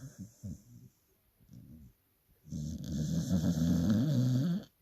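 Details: Sleeping dog snoring loudly: a few short, rough snorts, then a long, low, rattling snore of about two seconds with a buzzing, throaty quality.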